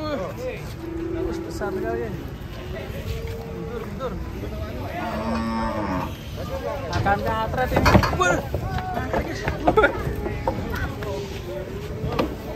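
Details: Giant cattle being loaded onto a truck, one animal finally going in: low, wavering moos early on, then clattering knocks and bangs around the eighth and tenth seconds amid steady background rumble.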